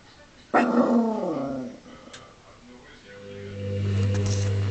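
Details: Indoor dog reacting when the washing machine does not work: one loud, drawn-out harmonic yelp sliding downward over about a second, then quiet before a steady low machine hum rises.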